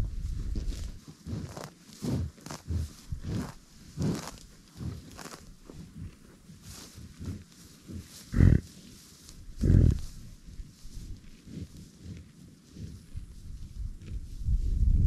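American bison giving deep, rumbling grunts and low bellows, some loud and drawn out.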